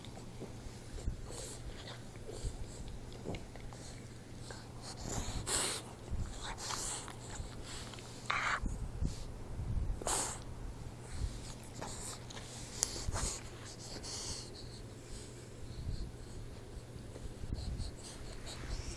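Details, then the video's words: Troy, a 4-month-old Boxer puppy, asleep and snoring: irregular wheezy, snorting breaths, some sharper and noisier, recurring every couple of seconds over a steady indoor hum. "Snoring Boxer Puppy"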